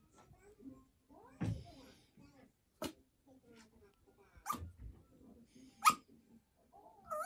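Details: A Yorkshire Terrier named Choco pesters its owner to sleep together, giving drawn-out wavering whines and several short, sharp yelps spaced a second or so apart, with quiet indoor rustling in between.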